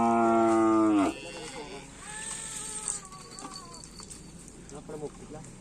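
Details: Cattle at karapan sapi bull race training at the Asemanis field in Pamekasan. A loud, steady, harmonic moo lasts about one second, then quieter mixed background sounds follow.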